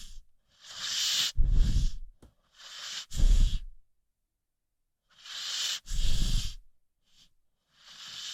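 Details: Rocky, an American Pit Bull Terrier, snores while asleep: rasping inhaled breaths with a low rumble come in bursts about every one and a half seconds, separated by short quiet pauses, with nothing else heard.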